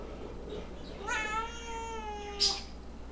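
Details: A whiny house cat indoors lets out one drawn-out meow that starts high and slides slowly downward for over a second. A short sharp click follows soon after.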